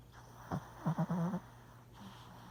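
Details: Sleeping puppy Gus Gus, filmed indoors in 2017, makes a run of short low grunting snores, one single then four quick pulses in close succession, followed by a soft fainter breath.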